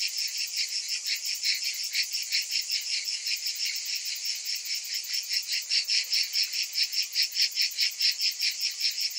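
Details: Summer cicadas produce a sustained high-pitched buzzing, rhythmically swelling and fading about two and a half times a second, growing slightly stronger toward the end.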